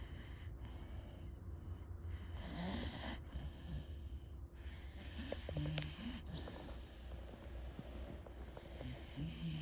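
A pit bull snores in slow, rumbling breaths with soft snorts between them.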